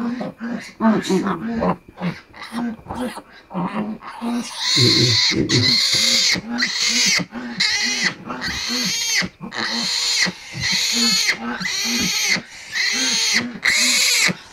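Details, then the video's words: Domestic sow giving birth before dawn, with her newborn litter; loud harsh squeals repeated about once a second over soft rhythmic low grunts, with bursts of broadband noise. "MADALING ARAW NA NAGSILANG ANG AKING INAHIN BABOY"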